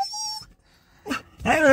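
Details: A dog on an outing, said to be angry, gives a short, steady, high whine that holds one pitch, then harsher throaty vocal bursts, with a person speaking Tamil close by.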